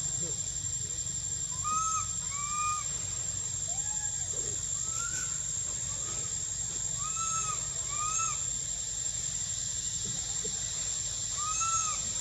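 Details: Whistling of a young monkey wanting milk in spring, Angkor Wat and Bayon temple area, Cambodia. Repeated pairs of clear, bowed whistles across the stretch, with a continuous buzzing insect chorus behind them.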